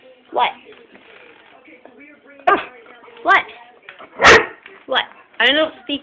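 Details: Female dog, being dogsat, barking repeatedly because she wants a toy on a bookshelf she cannot reach; six sharp, harmonic barks spaced irregularly over six seconds, with a person's voice talking in between.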